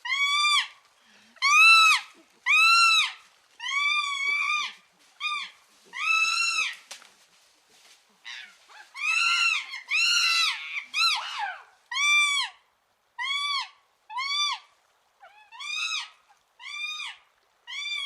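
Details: A chimpanzee (Pan troglodytes) gives loud, high, arching wails in a steady run, about one every second.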